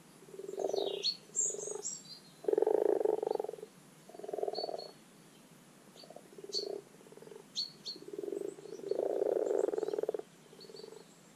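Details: Spring spawning chorus of common frogs, Rana temporaria, in a garden wildlife pond: soft, grating purrs repeated in short bursts, some longer rolling runs, while small birds chirp and twitter in the background.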